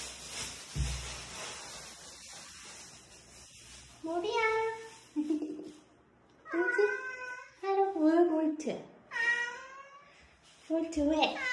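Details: Lost kitten, one of a group rescued after crying for hours in bushes or falling into a dark sewer, calls in loud, high, strained meows, about seven in quick bursts, the cries bending downward at the end, over a faint steady hiss.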